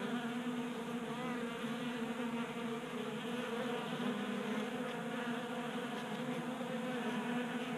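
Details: Swarm of feeding honey bees at a 3D printed tray feeder, Colorado garage, warm January; unbroken droning hum of overlapping wingbeats, with faint brief clicks near the middle.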